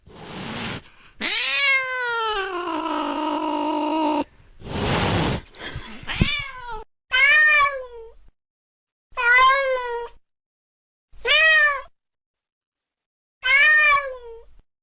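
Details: Domestic cat calls used to frighten rats away: a long wavering meow and a noisy burst, then a series of short meows repeated about every two seconds.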